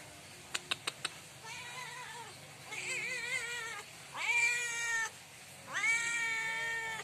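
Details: Hungry cat meowing loudly at night, asking for food: a few sharp clicks, then a wavering drawn-out cry and two strong rising-then-level meows, each about a second long, over quiet background hiss.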